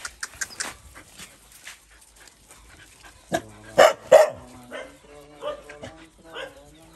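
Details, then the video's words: A small dog angry at a bigger dog that bullies it: a few short harsh barks and growling yelps bunched in the middle, softer whines before and after, with faint voices in the background. "Poor dog angry with big dog about bully him"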